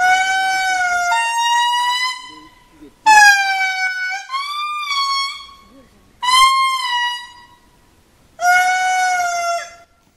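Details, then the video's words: A male indri lemur sings very loud, wailing, horn-like notes that hold and then step or slide in pitch, in Parc Mintsinjo, Andasibe, Madagascar, on 28 September 2019. "Song of the Indri Indri"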